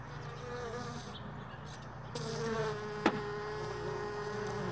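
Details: Honey bees around hive boxes left all day in a truck bed, early morning while frames are sorted from extracted supers; a steady mid-pitched buzz with harmonics starts halfway through, over a low constant hum and a sharp click.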